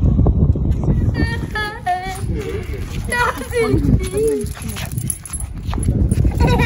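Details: Siya, a female Shih Tzu born February 2020, crying while getting ready for her nightly walk: a string of short, high, whining whimpers that waver up and down in pitch, some rising sharply, over a steady low background rumble.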